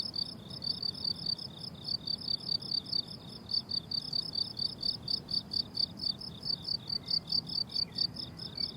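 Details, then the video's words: A cricket chorus on a blooming summer meadow, with high, clipped chirps repeated about twice a second in a brisk rhythm. A faint, brief bird note slides in near the end over a quiet, low murmur. "Relaxing Cricket Sounds on a Summer Meadow"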